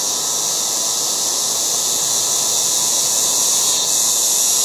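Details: Yard cicadas calling loudly in August, a continuous shrill sizzling wash with a slight swell near the end; no pauses and no other clear sounds.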